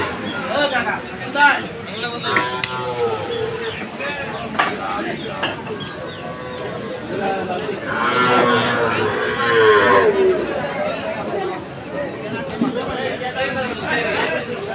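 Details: Cattle and calves at the Aricha cattle market, lowing repeatedly with long, wavering moos, the loudest near the middle, over a background of people talking.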